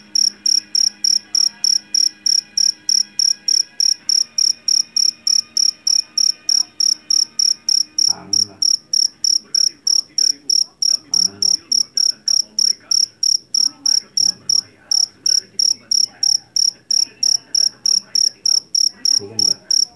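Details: A Javanese field cricket (jangkrik jeliteng), captured in a rice field and famed for its shrill song, chirps loudly and regularly about three times per second throughout. Occasional low thumps and a soft hum sit underneath.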